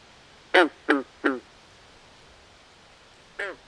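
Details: Frogs by a swamp at night giving three loud, raspy quacking croaks in quick succession, then a single fainter croak after a two-second pause, against a quiet still background.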